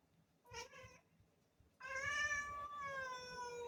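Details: Black cat calling to have a door opened: a brief meow followed after a pause by a long, drawn-out, slightly falling meow that holds for nearly two seconds, with low room hum beneath.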